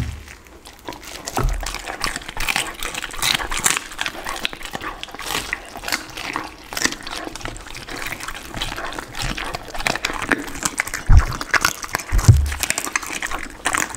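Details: Pit bull dog eating a lunch of raw chicken, duck and cauliflower: dense, wet crunching and smacking bites, steady throughout, with a few deeper low thuds near the end.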